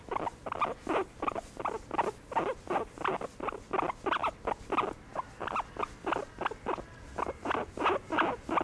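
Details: Pet guinea pig receiving a massage, giving rapid, irregular rows of short squeaky chirps, around two or three per second through the whole stretch, each burst a brief noisy squeak, with no other clear sounds.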